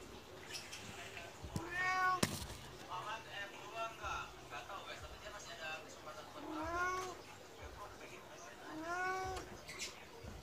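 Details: Medium Persian cat meowing to beg for food just after being fed, acting almost angry; three drawn-out, arching meows with rich harmonics at about two, seven and nine seconds, with softer murmurs and background noise in between.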